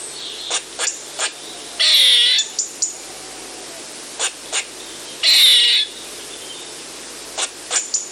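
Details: An eastern gray squirrel repeats its call sequence: three quick clicking chucks, then a loud grating buzz of about half a second, the cycle returning after a few seconds, over faint continuous hiss.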